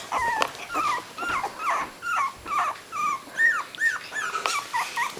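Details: Three-week-old miniature dachshund puppy, picked up for squawking, makes repeated short, arched squeaks and whimpers about twice a second, some rising then dropping, with a few higher yelps near the end.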